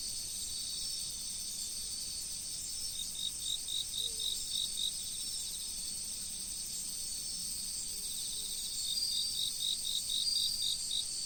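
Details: Insects calling in autumn beside a river, high steady trilling with a bright pulsed chirp series, about four pulses a second, starting midway, pausing, then resuming louder near the end, over soft flowing water.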